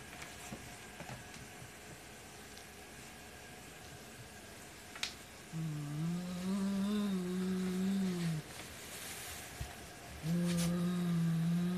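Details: White male Siamese cat guarding a black toy rat it won't share, after several seconds of quiet room noise giving a low, drawn-out moaning growl that wavers slightly, breaks off, then starts again near the end.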